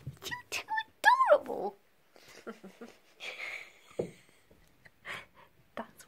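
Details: A female Devon Rex cat gives a single arching meow in greeting, rising then falling, between her owner's affectionate talk while being playfully chased.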